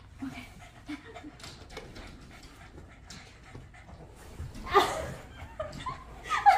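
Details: Boston Terrier dogs Ruby and Rocky playing tag indoors with their owner; soft, breathy, rapid panting puffs fill the first few seconds, then excited human speech and a short dog whimper break in near the end.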